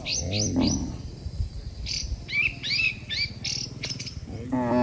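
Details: Dozens of tame cattle walk home together to the barn after a day in the pasture. A low, harmonic moo opens the clip and a second bellow rises at the end, while small birds chirp and tweet throughout.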